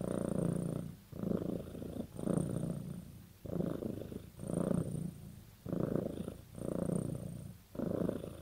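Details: House cat purring as a sign it has bonded with its owner: steady low rumble rising and falling with each breath, roughly one pulse every two seconds, quiet room with no other sounds.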